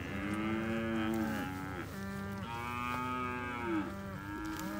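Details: Herd of 71 Hereford cows with Braford calves, recorded 29 October 2021. Several cattle moo at once in long, overlapping, rich harmonic bellows, each lasting about a second or more and rising then falling in pitch, nearly continuous throughout.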